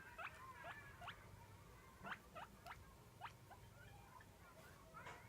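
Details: Pet guinea pig named Roko squeaking for food at daily feeding time; short, sharp rising squeals repeated about every half second, roughly a dozen in five seconds, over a low indoor hum.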